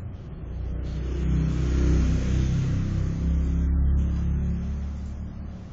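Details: Male house cat snoring while asleep: a deep, low rumble with a fast pulsing texture that swells over about two seconds, holds, then fades, like one long breath cycle; no other sounds.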